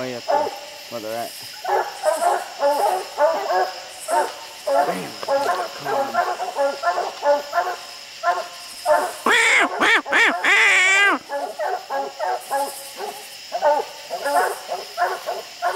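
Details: A pack of dogs barks steadily under raccoons treed on a slick, steep hillside. There is a long run of quick, choppy barks at an uneven pace, with one loud, ringing, drawn-out bawling burst midway. Men talk over the dogs.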